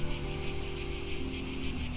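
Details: Cicadas singing outdoors in the background, a steady continuous high buzzing drone without pauses, recorded on a phone microphone.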